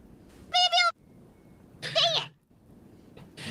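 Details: Desert rain frog, very angry, giving its squeaky war cry, likened to a dog toy: two shrill, rich, squeaky bursts about a second and a half apart, followed by the start of a man's voice.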